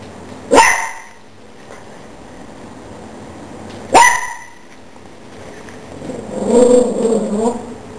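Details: Chihuahua barking at a cockroach while defending the household: two sharp, loud barks about three seconds apart, followed near the end by a softer, rougher drawn-out vocal sound.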